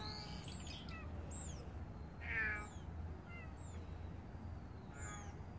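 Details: Stray cat giving a single short, strained meow midway through, set against repeated high thin chirps from small birds outdoors and a steady low background rumble.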